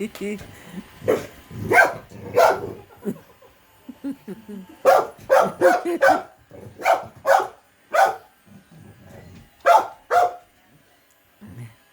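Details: Small female dog frightened by an automatic robot vacuum, barking repeatedly: loud, sharp barks in irregular bursts, some doubled, with people talking between and over them indoors.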